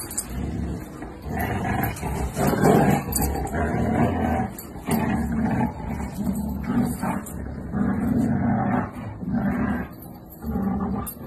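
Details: Siberian Husky in a funny husky compilation, giving a long run of low, drawn-out grumbling 'woo' vocalisations in uneven bursts of a second or two, with breaks between phrases and a rumbling, noisy background.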